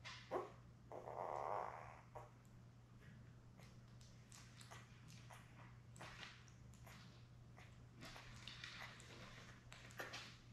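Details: Labrador Retriever puppies from a newborn litter of seven, born May 24, 2021, with mother Belle on a live puppy cam on June 4. A drawn-out whining cry early on, then scattered clicks and shuffling over a steady low electrical hum.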